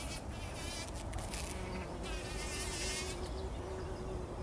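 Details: Early-morning bumblebees wallowing in a poppy bloom before sunrise, 2019; a low humming drone shifts slightly in pitch throughout, overlaid by brief crackling rustles of petals and a soft noisy background.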